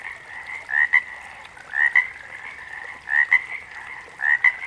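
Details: Repeated frog calls, each a short upward-sliding note and then a crisp click, spaced a little over a second apart over a continuous background frog chorus.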